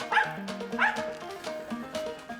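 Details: A female mountain feist on a squirrel hunt gives sharp, spaced treeing barks at a gray squirrel she has treed, over a steady musical background.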